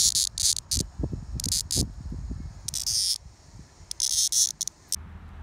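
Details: Rumson, New Jersey, 2020: a pair of male Linne's cicadas, hand caught, one newly molted, sound a run of choppy high rasping buzz bursts, stuttering on and off, mixed with low thumping and handling noises.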